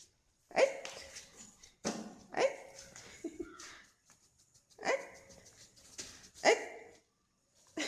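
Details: Pet dog yawning makes an unusual sound attributed to the cold: four short, breathy, voiced bursts, each trailing off, spaced about one to two seconds apart in a quiet indoor setting.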